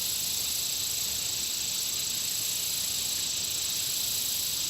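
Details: Country pond insects keep up a continuous shrill drone, a sustained high whine layered with rapid pulsing trills that swell briefly near the middle and again near the end, with no other clear sounds.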